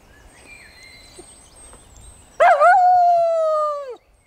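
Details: Dog singing during an early morning walk by a pond: a single sustained howl of about one and a half seconds, steady and slightly falling at the end, after a quiet stretch of faint background noise.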